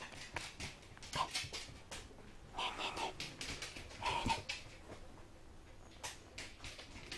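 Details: Black male Poodle puppy, with soft high whimpers heard a few times among breathy snuffling and panting bursts, quiet and close, with irregular gaps between sounds.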